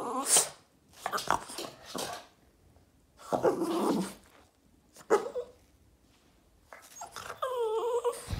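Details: A Boston Terrier throwing a tantrum and wanting attention: bursts of broadband whines and grumbling vocalisations separated by quiet gaps, ending in a higher, harmonic whining cry.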